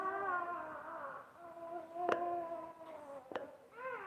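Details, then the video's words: Basset Hound mother with her newborn puppies; steady, nasal whimpering whine that wavers gently in pitch over about four seconds, broken by two sharp clicks or knocks, in a quiet room. "Basset Hound tends to her new born babies"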